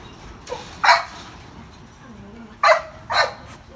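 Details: Sid, a male Rough Collie up for adoption, described as playing well with others and generally well-behaved. Three short, sharp barks spaced about a second apart, after a fainter yip, over a low murmur of background noise.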